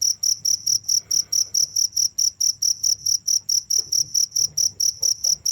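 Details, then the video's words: Unbroken cricket chirping: short high, bright pulses with a faint overtone, repeated in a steady rhythm a little over twice per second, with low hum and soft scattered knocks beneath. "without stopping the sound of crickets"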